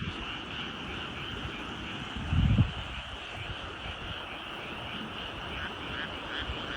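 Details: At dusk in mountain rice paddies of Nyuzen, Toyama, frogs call as a massed chorus of rapid, buzzy croaks that blend into a continuous trill, with one dull thump partway through.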